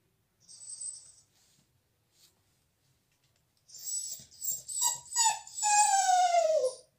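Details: Dog named Bella crying at being shut out of the salon during a visitor's stay; a thin high whimper, a pause, then several short yelps building into a drawn-out, falling, nasal whine indoors.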